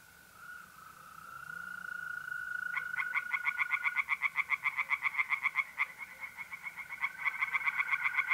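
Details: Tree frogs singing by a pond on a mid-April night in north-east Italy; after a quiet start, rapid pulsed croaks repeat about four per second, laid over a steady high trill of mole crickets.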